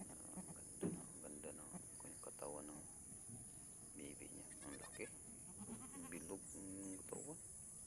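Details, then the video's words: Goat doe struggling to give birth while being helped to pull out her kid; several short harmonic bleats with wavering pitch, mixed with people talking and a steady high electronic hum. "na hirapan ang inahin kanding sa pag labas ng anak nya"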